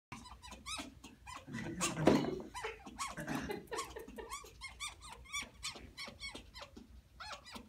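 A fennec fox gives rapid, high squeaky chirps and whines, one after another, with a dull thump early on.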